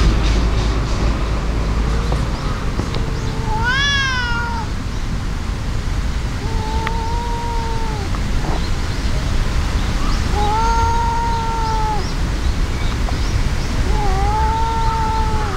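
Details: Cat fight between an angry brown-and-white tabby and an outmatched brown tabby: a sudden high rising screech, followed by three long level yowls spaced a few seconds apart, with low traffic-like rumble beneath.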